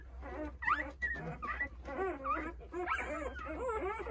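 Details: Nine Jindo puppies, eight days old, whimper and squeal in overlapping, wavering high cries, calling for their mother while she is away eating a snack.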